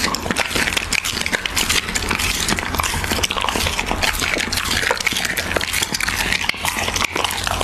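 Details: Siberian Husky eating raw beef in close ASMR style: dense, continuous wet chewing and smacking with crisp clicking bites throughout, no voice or other animals standing out.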